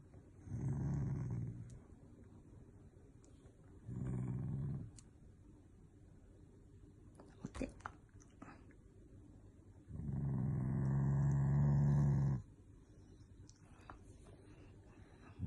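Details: Shiba Inu growling while being made to do tricks, indoors: three low rumbling bursts of about one to two seconds each, separated by quiet gaps, the last one longer and steadier; a woman speaks softly in Japanese between them.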